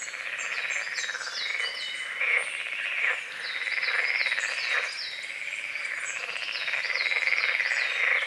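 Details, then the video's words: Near-continuous chorus of frogs at dawn over a small fog-covered lake by the forest, with dense rattling croaks overlapping one another, and bright chirping birds and insect buzz above. "The sounds of morning frogs croaking"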